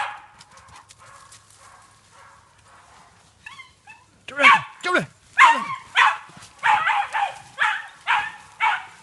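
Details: A Jagdterrier training on wild boar in an enclosed boar park gives a rapid, insistent series of sharp, loud yelping barks, about one per second, some rising then falling in pitch, after quiet human speech and faint noise.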